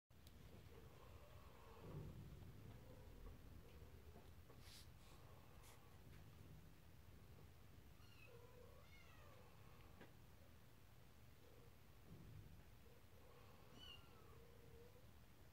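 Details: Toy Poodle male puppy, born 23 November 2017, giving faint, high, nasal whines with rising and falling overtones in short bursts near five, eight to ten and thirteen to fifteen seconds, over a steady low indoor hum and a few soft clicks.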